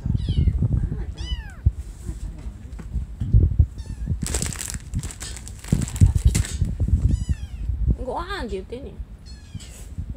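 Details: Domestic cat among four sibling cats and an older brother, recorded June 7, 2020; a series of short, high, arching meows, some quick pairs, one longer wavering cry, over steady Japanese conversation and rustling.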